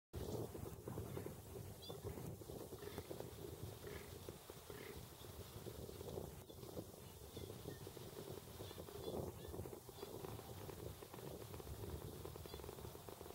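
A fallow deer gives deep, rough, rumbling calls, low and grunting against a murmur of background noise.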